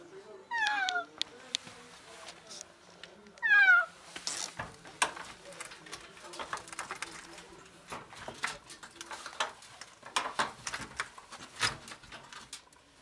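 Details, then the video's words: Desperate meows from a trapped, ill female cat in an alley reachable only through a door: two sharp, downward-sliding meows near the start, followed by ongoing rustling and tapping. "Cat trapped in an alley desperately meows for help"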